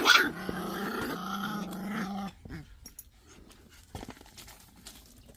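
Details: Pungsan dogs in a rank fight, a steady low growl for about two seconds that breaks off into near silence with faint scuffling.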